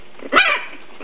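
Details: A three-week-old English Bulldog puppy, playing with its littermates, gives one short, squeaky yelp that bends up and then slides down.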